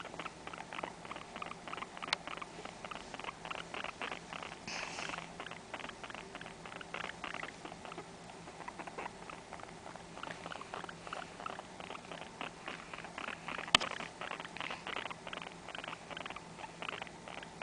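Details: Blizzard, a pet guinea pig born 5-10-05, indoors, giving a long, steady train of short, rapid chirping pulses with no pause, while a person speaks briefly to her nearby.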